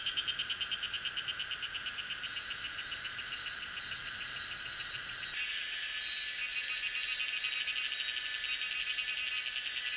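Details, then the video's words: A Tanna viridis cicada in Taiwan, recorded in May–June at Lianhuachi or Dasyueshan, sings a loud, high, rapidly pulsing buzz that swells and shifts rhythm partway through. "小暮蟬 蟬鳴聲 / Tanna viridis - Cicadas in Taiwan"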